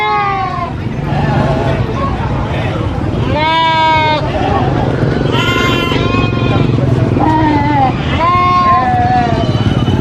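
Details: A baby goat lets out loud, wavering bleats and screams again and again. Several rising and falling cries come over ten seconds against a constant low background rumble.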